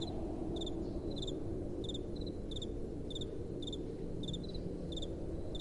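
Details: Crickets chirping at night beside soft blowing wind; crisp high pulsed chirps come about every 0.6 seconds with occasional higher answering notes, and a continuous low wind roar underneath.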